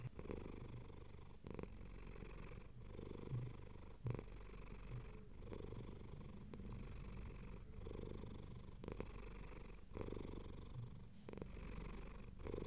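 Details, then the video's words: Content domestic cat purring, low throaty rumble rising and falling with its breathing, brief gaps roughly every one and a quarter seconds, nothing else audible. "Cat Purring"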